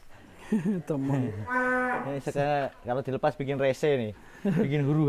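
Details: Cow about seven to eight months old, kept three months in its pen in Indonesia, giving drawn-out harmonic moos, one held steady near the middle, amid brief human voices close by.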